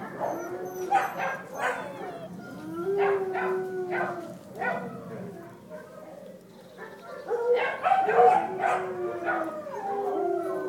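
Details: Dachshund puppies on a farm, with their mother, on August 5, 2011, whine and yip in short, high, wavering cries, many overlapping.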